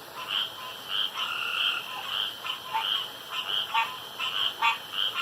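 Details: Several male frogs croak together around a dark pond, contesting who calls loudest and longest; overlapping drawn-out buzzy notes and quick clicky bursts crowd the recording above a steady high hum.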